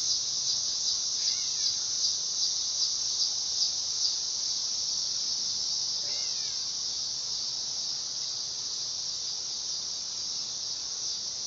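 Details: Dog-day cicada (Neotibicen canicularis) producing a steady, piercing electric-like buzz that pulses slightly at first and then evens out, with two faint, quick bird chirps in the background.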